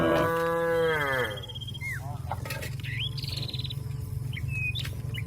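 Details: Cattle calling companions to return to their pen: one long, deep, steady moo that falls away at its end, followed by scattered bird chirps and whistles over a low rumble.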